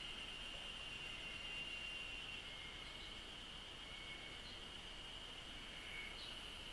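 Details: Cicadas chirping in Japanese nature: a steady, shrill high-pitched drone holds unbroken throughout, with faint fluctuating tones beneath and light background hiss.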